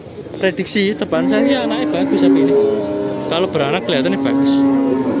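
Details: At Kerek cattle market, Tuban, East Java, Simmental cattle said to be pure Australian stock: a loud, sustained lowing moo that holds steady for several seconds and rises at the end, with brief voices nearby.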